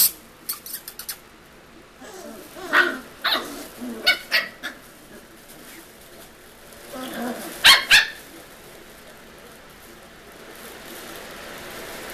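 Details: Six-week-old puppies in wild play give short, sharp yips and squeaky barks in bursts, a cluster between three and five seconds and a loud pair near eight seconds, with scuffling and handling noise between.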